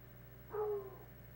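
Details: One hound dog baying while playing king of the wood pile with other hounds; a brief, level, musical howl-bark lasting under half a second, against a soft constant hum.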